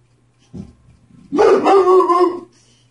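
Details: Dog sounding off at the mail carrier with a brief soft grunt followed by a sustained, wavering howl-like bark lasting about a second, tonal and strained, over a low steady electrical hum.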